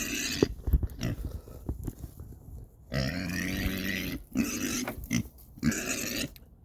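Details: Hungry female domestic pig on a homestead, grunting at her keeper one evening while waiting to be fed: low, rough grunts in sustained runs of about a second each, clustered in the second half, with a man speaking nearby.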